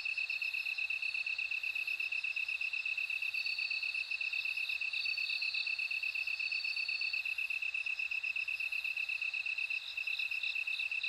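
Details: Bell cricket chorus: a steady, high, evenly pulsed chirping runs throughout, with fainter shimmering trills above it that swell and fade, and no other sounds.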